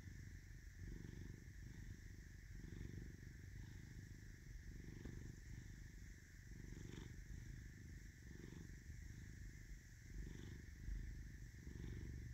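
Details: Steady rumbling purr of Caesar, a domestic cat with an M on his forehead, rising and falling in regular breath cycles near one second apart, with light rustling and a constant low hum.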